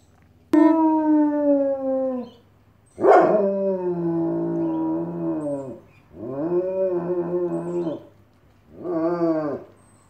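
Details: A German Shepherd howls like a wolf in long, tonal wails that waver and slide downward.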